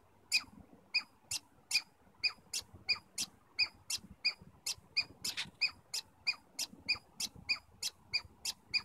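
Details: Squirrels communicating in Stanley Park, giving sharp squeaky chirps repeated at a quick steady pace, a little over one a second, each a short high harmonic note; quiet background.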